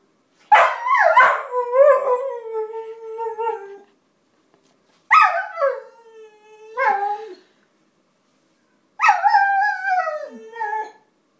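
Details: Basenji mix dog singing in three long howled phrases, each opening with a wavering yodel that slides downward into a sustained falling tone and then trails off, spaced about four seconds apart.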